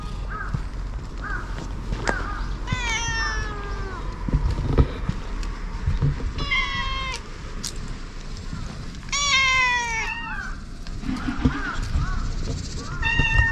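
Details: Community stray cats visited for a safety check; repeated loud meows with rich stacked harmonics, some rising then falling, come in bursts roughly every three seconds, with shorter chirping meows between and low background rumble.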